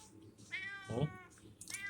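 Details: Cute cat that arrived first at a small roadside stall (warung) gives one drawn-out, level meow lasting under half a second, followed by a short low murmur and the start of another sound; quiet indoor background.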